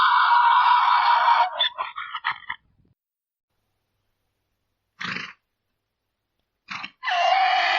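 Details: Mule bray ending in a loud, sustained, harsh tone that breaks into a few jerky, stuttering honks. After a pause come two short, breathy wheezes and a fresh strained, droning bray.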